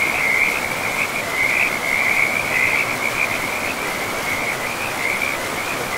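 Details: Frog calling beside a river in a pristine forest of moss-covered land: a high, continuous pulsing trill that wavers slightly in pitch and runs unbroken through the whole stretch, set over a steady rushing roar of flowing river water.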